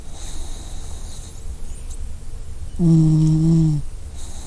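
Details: Sleeping puppy snoring: after a stretch of low steady rumble, a single voiced, humming snore lasts about one second, low-pitched and gently falling, then fades back into the faint background hum.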